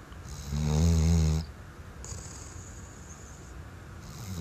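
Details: A sleeping Weimaraner lets out a single low, buzzy snore that rattles for about a second, followed by softer, hissy breaths on the exhale and inhale.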